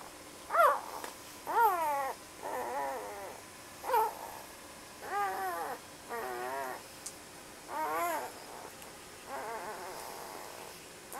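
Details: Labrador Retriever puppies four to five days old, sleeping and dreaming, give a series of short wavering whimpers and squeaks, about one every second or so, each rising then falling with a warbling tremble, in a quiet room.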